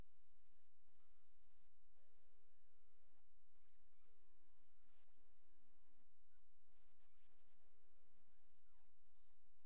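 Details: Several male coyote puppies, old enough to walk with eyes open, make scattered high squeaks and bending whimpers, a few drawn out and wavering, with brief pauses between bursts and a constant low hiss underneath.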